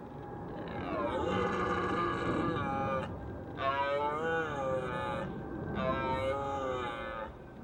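A red deer stag gives three long, deep, harmonic roars that rise and fall during the rut.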